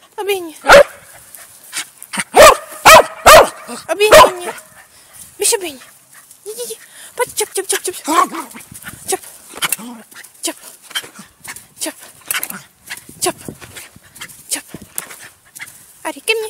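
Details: Dog barking during a training session while a person gives commands in Czech: a burst of sharp, loud barks in quick succession early on, followed by softer yips and short barks mixed with speech.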